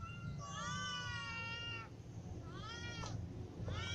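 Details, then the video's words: Ginger cat and other cats, young and adult, meowing from hunger: a long drawn-out meow followed by two shorter ones that bend downward, with a strong low rumble underneath. "Ginger cat , little cats and adult cats all meow because they are hungry"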